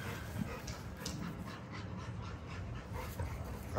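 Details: Great Dane named Juicy, a huge dog behind a fence, panting in soft breathy bursts, several per second, steady throughout, over low background rumble.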